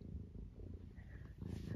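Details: Senior tabby Eric, almost 12, at home in Great Britain on a wet and blustery day, keeps up a low continuous rumbling purr, with a faint higher squeak rising near the end.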